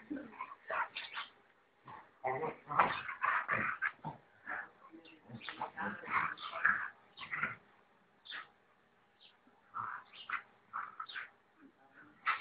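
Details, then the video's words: Rottweiler barking when disturbed: dense volleys of harsh, mid-pitched barks and yelps, roughly two per second in uneven clusters, separated by brief pauses. "Don't try to disturb Rottweiler"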